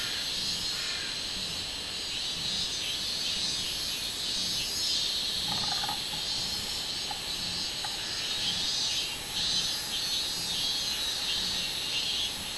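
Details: Minminzemi song recorded 24 July 2016, a bright high-pitched droning pulsed roughly one and a half times per second, continuous for the whole stretch, with a few short faint lower notes in the middle.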